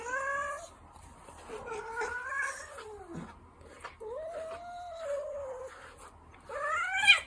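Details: Ragdoll cat, a gentle, dog-like pet, giving four drawn-out harmonic meows. Some rise and then fall, one slides down into a low dip, and the last rises sharply. Quiet pauses separate the calls.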